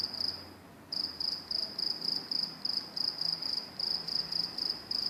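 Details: A cricket at New Jersey Transit train tracks chirps steadily, with high, pure pulses repeating about four times a second.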